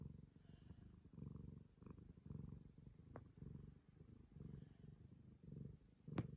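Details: Ragamuffin cat, affectionately licking a girl, gives a soft continuous purr that swells and ebbs in regular breath cycles, ending with a brief sharp knock.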